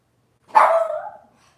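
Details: Cavalier King Charles Spaniel puppy from Robin's litter, on an indoor kitchen-cam livestream, gives one short yelp that starts sharp and bright, then trails off into a falling whine lasting under a second.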